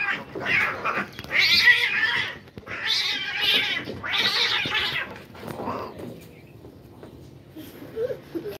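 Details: Two cats clashing at a construction site produce harsh, raspy screams and spitting hisses in rough bursts, loudest midway, then dying down to quieter scuffling sounds.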